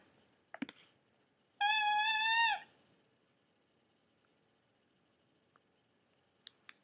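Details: Maltipoo puppy singing indoors: a single sustained, slightly wavering howled note lasting about a second, rich in harmonics, with faint clicks before and after.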